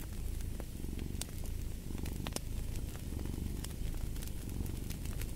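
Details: Domestic cat purring beside a fireplace: a steady low rumbling purr swelling and easing in breaths roughly every second, with sharp crackles and pops from the burning fire scattered throughout.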